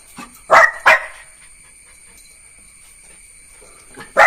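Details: Two quick, sharp barks from Neo, a young Jack Russell Terrier pup, followed by about three seconds of near silence and one more bright bark at the close, with a faint soft sound before the first bark.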